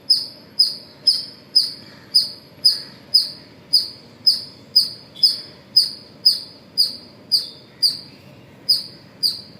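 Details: Squirrel at Pozhichalur in the morning, giving about twenty bright, high-pitched chirps at an even pace of roughly two per second, each sharp-edged and short, against soft ambient noise.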